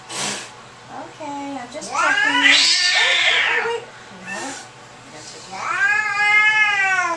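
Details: Indignant pet cat named Audrey at the vet's office, giving wavering harmonic yowls that rise and fall in several long cries, with brief speech between.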